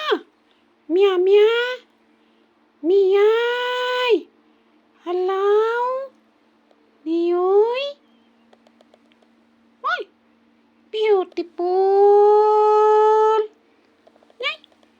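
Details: A female kitten gives a run of drawn-out, rising meows with a few brief chirps between them, seemingly disturbed while wanting to sleep.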